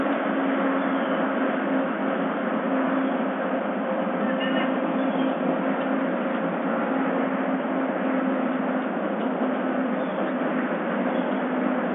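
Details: Loud steady broadband rumble like a passing vehicle or engine fills the whole stretch, with no animal voice heard.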